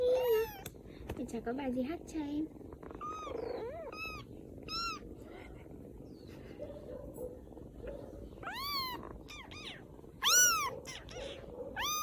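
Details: Rescued baby kittens in Vietnam call with sharp arched mews that come sparsely at first and then louder toward the end, while a person talks quietly underneath.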